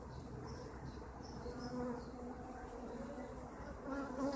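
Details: Honeybees kept by their owners filling the air with a low, even hum; a brighter buzzing tone rises near two seconds and again toward the end as individual bees pass close.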